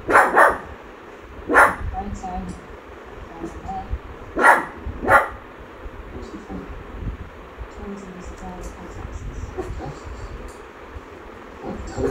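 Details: Shih Tzu barking while watching the movie Transformers; four sharp, loud barks, two near the start and two close together around the middle, over continuous film dialogue and rumbling soundtrack noise.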